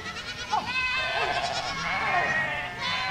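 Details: Goat flock walking through a village, many animals bleating at once in a dense, overlapping chorus of nasal, wavering cries, with a few sharper calls rising above the steady din.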